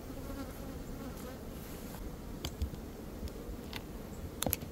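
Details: Honey bee swarm being caught in early May after a nectar dearth, the beekeeper holding the box up to get the queen before shaking the rest down; a dense low droning hum with scattered sharp clicks and taps.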